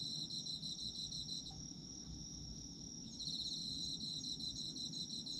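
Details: Autumn insects heard as a bright, sustained ringing chorus. A rapid pulsing trill sounds at the start, pauses briefly, then returns more strongly for the final two seconds.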